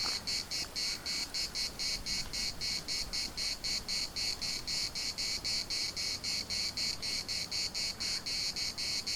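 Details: Chorus of cicadas in Larnaca's municipal park, a steady rasping buzz broken into rapid regular pulses, roughly four per second, sustained throughout without pause.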